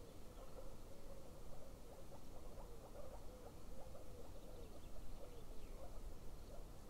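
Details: Frogs near a golden eagle nest give a run of short, quick, mid-pitched clicking calls, several a second, over a steady deep rumble of wind or distant noise.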